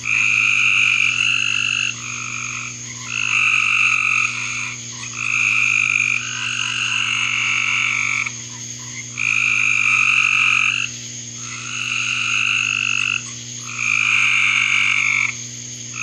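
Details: Backyard frogs in a continuous chorus of high trilling calls, each burst lasting one to two seconds with brief gaps, several callers overlapping across the stretch, with a low steady hum beneath.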